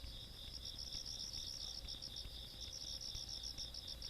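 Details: Rural night insects, 17 August 2022: two high layers of sound, one a constant ringing tone and one a quick beating pulse that drops out for a moment near the start, over quiet low rumble.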